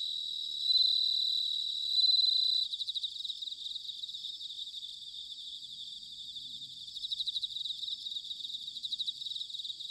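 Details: Autumn bell cricket chorus from Sanuki, Chiba Prefecture, Japan: loud ringing tones open the recording, then quieter rapid pulsed trills repeat, rising again toward the close.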